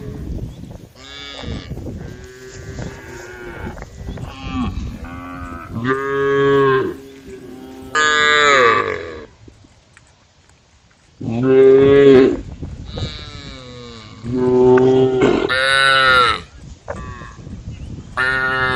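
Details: Cows roaming a dusty country road with some wearing small neck bells, calling the herd: repeated loud harmonic moos in bursts, a near-silent pause midway, then three more strong bellows.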